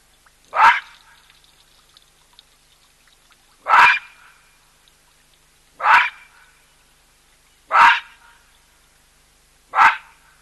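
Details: Loud baboon calls ring out at a drinking place shared by a skittish cheetah and an elephant. There are five sharp, barking calls, roughly one every two seconds, with faint background noise between them.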